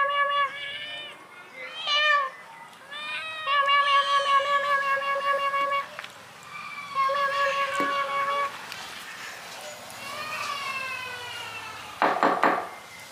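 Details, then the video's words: Several kittens mewing to be fed, a steady run of clear, even-pitched mews repeated in quick succession, some overlapping, with a short noisy burst near the end. "Mewing call kittens to eat food"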